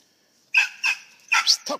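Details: Squirrel hunting dogs at a western Kentucky kennel let out a rapid run of four or five short, bright barks within about a second, the last one lower and shorter.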